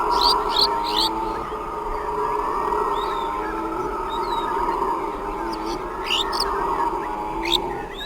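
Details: A troop of howler monkeys roars and howls near sundown in a steady, droning chorus, with birds chirping high above.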